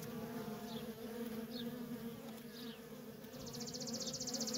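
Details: Worker honey bees in nonstop traffic at a feral colony: a dense, steady low hum banded around two tones, with brief rising zips of passing bees and a short high rattling chirp near the end.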